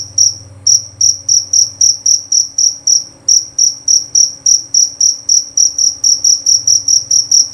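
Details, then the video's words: Jerabang cricket chirping loud and clear: high, shrill pulses repeated about three to four times per second in a steady train, with a faint low hum beneath. "Bunyi Suara Jangkrik Jerabang Nyaring dan Jernih"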